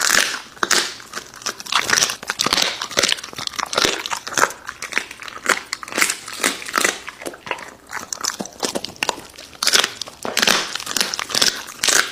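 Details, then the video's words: American Bully dog eating raw meat, recorded up close: dense, irregular wet crunches and bites, with sharp, crackling bursts following one another almost without pause for the whole stretch. "MUKBANG ASMR Dog eating Raw Meats!Omnibus 【American Bully】"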